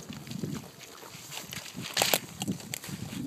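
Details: Kunekune pigs cracking and chewing fresh pecans together on a farm: sharp broadband crunches, loudest near the two-second mark, over low grunting and munching, with a man's voice nearby.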